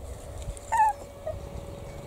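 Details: Six-week-old Italian Greyhound puppies from a first litter, running, playing and eating solids; one puppy gives a single short, high, slightly falling whine with harmonics, followed by a faint second squeak over a steady low hum.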